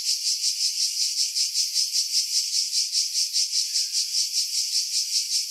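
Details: Cicadas singing in pine trees above Pefkos Bay, Skiros, Greece, July 2018: sharp metallic buzzing swelling and fading in even beats about two and a half times per second.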